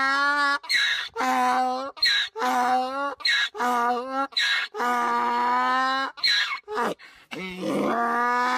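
A donkey brays in long, loud, nasal blasts broken by rough, wheezing intakes of breath.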